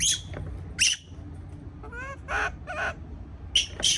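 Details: Frightened baby monkey alone in a cage: piercing squeals alternate with a brief rising, tonal whimper, then harsher shrieks in quick succession against a faint low drone.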